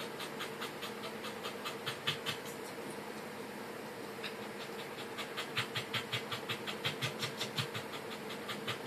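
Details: Pembroke Welsh Corgi puppies panting, quick breathy bursts repeated roughly two to three times a second, louder and more regular in the second half, over a steady low hum.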